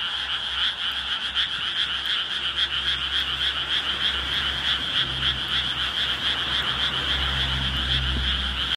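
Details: Frog chorus after full dark at Ishigama, Sawara Ward, Fukuoka City, Japan, heard while out to see fireflies: a dense, continuous high trilling with rapid pulsing, many frogs overlapping, plus a low steady hum underneath.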